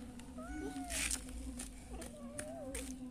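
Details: Wild panda-eyed cat giving soft, drawn-out, wavering meows, two in quick succession, faint against a constant low hum and brief bursts of hiss.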